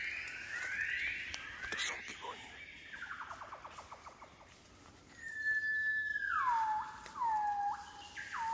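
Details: Wild gibbons in Cat Tien jungle, Vietnam, singing at dawn on waking, January 16th 2023. Quick rising whistled notes give way to long, pure whistles that hold, then swoop downward, repeated about once a second, with forest clicks behind.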